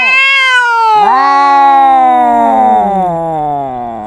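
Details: Two domestic cats arguing, the opponent especially loud. Strident, drawn-out meowing wails start high and slide slowly downward, with a second voice overlapping. The calls are sustained and rich in harmonics, with no other sounds.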